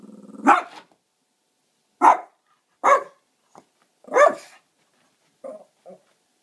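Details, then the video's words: Shih Tzu barking to ask for a drink of water: a run of sharp, loud barks spaced about a second apart, one slightly drawn out, ending in two softer, shorter yaps. There is no other sound between them. "Barking Shit....zu!"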